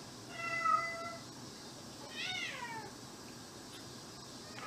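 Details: A domestic cat, an indoor mixed-breed, about twelve years old, resembling a Maine Coon: a short steady tonal meow, then a second rising-and-falling meow a second later, over faint room noise.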